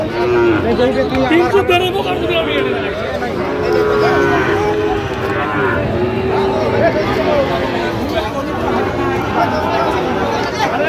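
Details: Sahiwal bull calves on sale at a cattle market where a Dhaka farmer is buying, 17 October 2025: repeated hoarse, mid-pitched moos recur through eleven seconds of bargaining voices and a general market hubbub.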